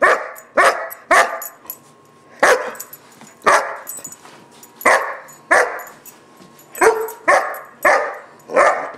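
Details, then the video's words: Barking fit of a German Shepherd puppy aged about 4-5 months throwing a tantrum; ten or so harsh, forceful barks, some doubled, separated by brief pauses. "Barking Fit 2"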